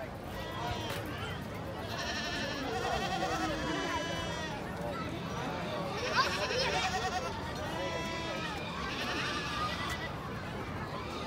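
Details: Goats at the Ridammerhoeve goat farm in the Amsterdam Forest give wavering, harmonic bleats in three bursts, early, midway and near the end, over steady chatter from visitors close by.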